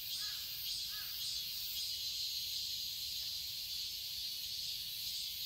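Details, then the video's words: Summer cicada chorus in a garden in Seoul, Korea: an unbroken high, shimmering drone, with two short faint bird chirps near the start. "Cicadas chirping sounds"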